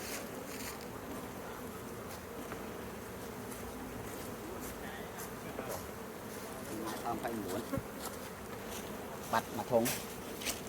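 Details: Honey bees give a steady, dense droning buzz throughout, low and even, with a few brief sharp clicks and a voice speaking Khmer briefly near the end.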